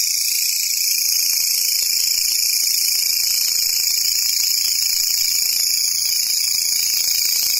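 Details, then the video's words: A grasshopper buzzing: continuous, dense, high-pitched shrill hiss at constant loudness from start to finish, with no other clear sounds. "Sounds of Grasshopper"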